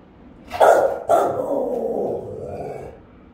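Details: Rottweiler on house guard duty, caught on a home camera: two powerful, resonant barks close together, trailing into a drawn-out, lower rumbling tail lasting about two seconds.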